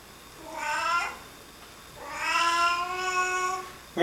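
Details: In a small room a Singapura cat objects to sneezing, giving a short meow and then a longer, wavering, complaining meow that breaks midway, with a brief noise at the end.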